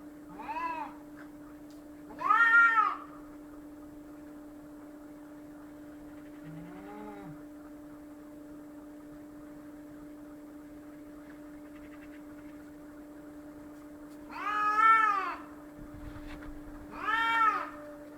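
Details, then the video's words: Cats fighting: loud, strained, arching wails in pairs, two near the start and two near the end, separated by a long quiet stretch with a faint low grumble; steady mains hum throughout. "Cats Fighting"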